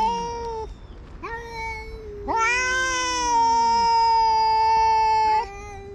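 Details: Territorial cat fight: a saba-shiro (tabby-and-white) cat chasing an orange tabby intruder. Long sustained wailing howls with rich overtones, one held steady for about three seconds, a second voice sliding downward beneath it.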